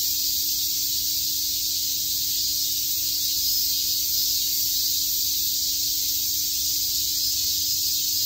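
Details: Many cicadas chirp together on a summer day in Tokyo's Shakujii Park, merging into one steady, sizzling high drone without gaps, over a soft low background hum.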